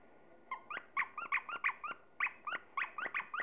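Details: A Chihuahua at play time with toys, giving a rapid series of short, high, squeaky yips, about a dozen in three seconds, with brief gaps between them.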